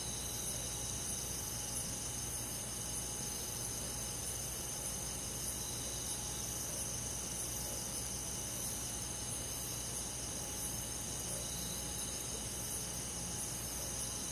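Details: Night-time cricket chorus in a summer forest in the countryside, with other insects: a constant high ringing trill, softly beating in waves, unchanging in loudness, with a low background hum and a faint steady tone.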